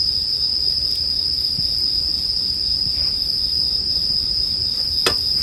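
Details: Bell cricket chirring in a sleep-music mix, a steady high ringing tone held unbroken throughout, with faint crackles of a campfire and one sharp pop near the end.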